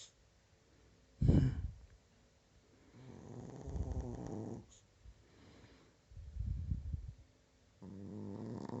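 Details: Chihuahua asleep indoors under a blanket, snoring like a human: a loud snort, then rough, low, rattling breaths in long drawn-out bursts about every one to two seconds, in a quiet small room.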